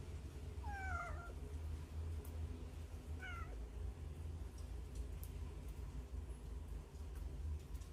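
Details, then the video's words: Hungry baby cats hiding inside a hole, stray kittens filmed on a Samsung Galaxy Note 9: two short high cries, the first a falling, wavering meow and the second a brief rising-then-falling one, over a steady low hum. "구멍 안에서 나는 배고픈 아기 고양이 울음소리 몇 마리나 있을까? How many hungry baby cats cries in the hole?"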